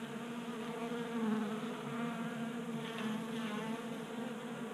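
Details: Several honey bees feasting at a tabletop bee feeder inside a Colorado garage during a mild January spell. Dense, continuous droning hum with wavering pitch as bees hover close, swelling slightly around the first second.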